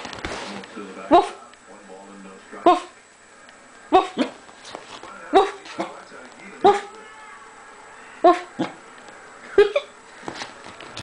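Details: Pet corgi barking back in a 'conversation' with a person who keeps saying 'woof'. Short sharp barks come about every one to one and a half seconds, eight in all, with a brief voice at the start.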